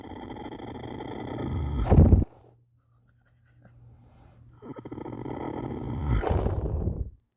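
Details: A horse snoring: two long, rough, low breaths with a broad rasping rattle, the first swelling and cutting off sharply near two seconds, a quiet pause, then a longer snore building and fading out.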